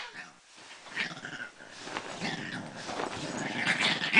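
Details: A Pekingese makes rough, varied grumbling and growl-like "talking" sounds in a talkative string while a person eggs him on nearby.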